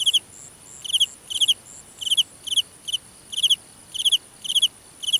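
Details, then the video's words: Loud nocturnal cricket in a Vietnamese grass field giving trilled chirps of two or three quick pulses, roughly every half second, with a thin steady high-pitched insect chorus behind. "Dế Kêu Ngoài Đồng Cỏ"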